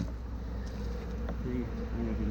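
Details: A fairly new honey bee colony, removed from a hay baler and shut in a hive box with a screen bottom board, gives a dense, steady, loud and agitated low hum of many bees buzzing together.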